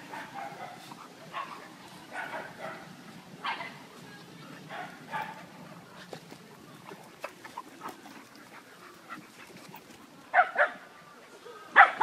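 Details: A Beagle named Shiny, playing and having fun. Short, soft yips and barks come in scattered bursts, with quiet gaps between them. Two louder, sharper barks come near the end.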